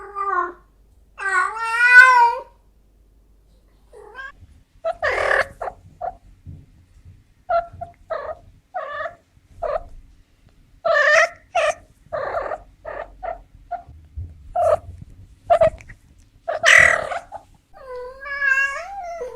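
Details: Female cat in heat giving wavering meows at the start and end, with a busy run of short, choppy broken cries packed between them.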